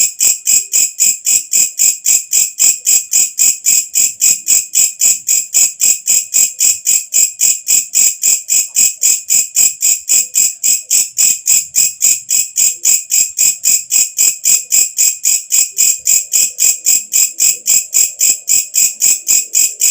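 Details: Katydid singing at night with a long, relentless series of high shrill buzzy pulses, roughly four each second, evenly timed and constant in loudness, faint background murmur near the end.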